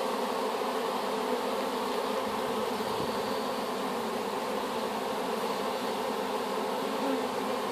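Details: Newly hived honey bees, a swarm gathered from an apple tree, fill the air with an even, continuous droning hum; a faint soft thump near the middle barely breaks the unbroken buzzing mass.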